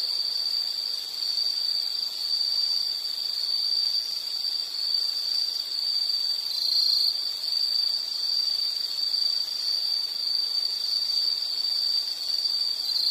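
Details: Insect sound for calming nature listening: an unbroken high-pitched ringing trill at a constant pitch for the whole stretch, slightly wavering in loudness, over light background hiss.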